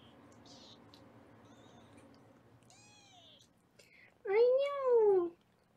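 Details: Foster kitten indoors in a Los Angeles kitten cuddle room, recorded on a live kitten cam during weighing: after soft faint background noise, one loud drawn-out meow rises and falls, lasting about a second.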